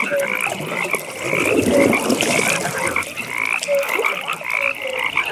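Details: Evening pond frogs in full chorus: buzzy rapid trills run continuously while short whistled notes pop out at irregular intervals, with a brief burst of broadband rustling near the middle.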